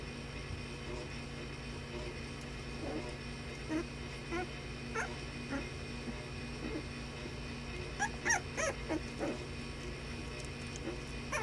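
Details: Playing puppies trade soft scattered yips and whimpers, growing into a quick cluster of louder yelps near the end, over a constant low hum.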